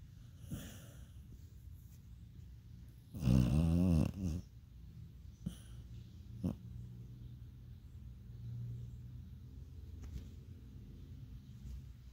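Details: Beagle asleep and dreaming indoors, giving low rumbling snores with a loud snorting, growly burst around three seconds in, then soft steady breathing with occasional short clicks and snuffles.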